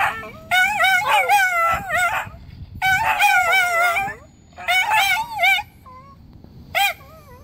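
A Schipperke howls in wavering, high-pitched bursts broken by brief yips and pauses.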